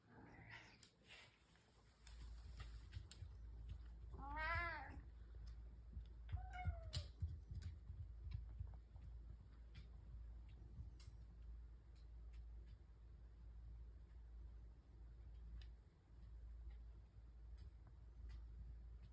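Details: Three house cats gathered for breakfast in the morning, purring together; two clear meows, the first rising then falling in pitch, the second shorter and dropping, over a steady low indoor hum with faint clicks.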